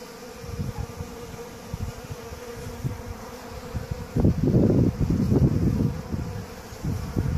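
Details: Honey bees being fed honey, a low droning buzz with a steady hum and fluttering pulses, growing louder and denser in bursts past the midpoint as wings beat close by.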